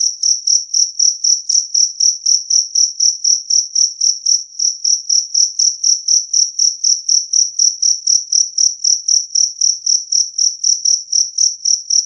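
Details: Two-spotted cricket giving a clear, loud call: rapid, shrill, metallic chirps at about four per second, very regular and continuous throughout, on a silent background.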